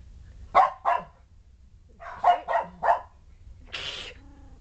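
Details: Shetland Sheepdogs indoors by a whelping box holding a trio of 3-week-old puppies rolling, pouncing and playing; two groups of sharp harmonic barks, two then three in quick succession, followed by a breathy, noisy yelp over low hum.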